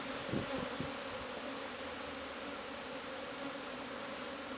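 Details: Swarming Japanese honeybees as the clustered ball disperses and takes flight toward a new nest site, producing a thick continuous buzzing drone with a few soft thumps near the start.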